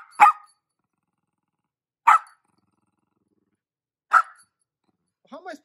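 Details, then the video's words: Dog barking as it tries to stop a lint roller cleaning its bed: three sharp single barks about two seconds apart, then a brief higher whine at the end, quiet in between. "Dog Tries To Stop Chom Chom Roller"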